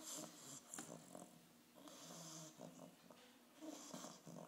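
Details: An 8.5-week-old English bulldog puppy snoring during its first vet visit: rough, rattling snores in uneven bursts, with broadband hissy breath noise between them in a small indoor room.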